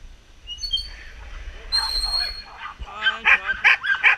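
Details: Samoyeds, two sled teams each including a young female, at the end of a 12 km training run in September 2014; rising howl-like wails and whines build into loud overlapping yips and barks.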